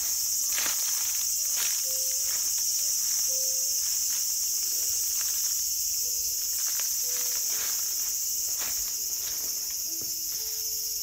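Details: Cicada sound recorded in a small garden on August 5, 2020: an unbroken shrill buzzing drone that stays level throughout. Soft clicks and brief low steady tones come and go underneath.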